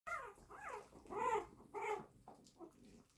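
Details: Six-week-old Prague Ratter puppies of litter T, indoors, play-fighting with littermates while teething: a run of high, arching harmonic whines and yelps, about six in three seconds, with soft growly undertones between them.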